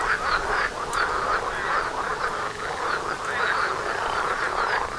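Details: Mating frogs calling together right outside a front door; dense rhythmic croaking, pulses repeating several times per second in an unbroken mid-pitched chorus with faint higher overtones.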